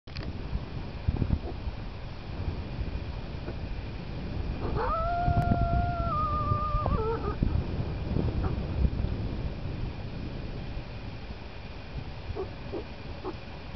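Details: A lone wolf gives one long, steady howl that drops in pitch at the end over rushing background noise, by the Caniapiscau River on 29 August 2009 under grey, drizzly skies, with fresh wolf tracks found near the tent.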